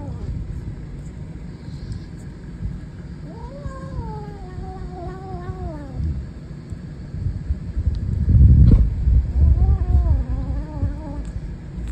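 A Savannah kitten growls in drawn-out, warbling bursts that waver up and down over a low rumble.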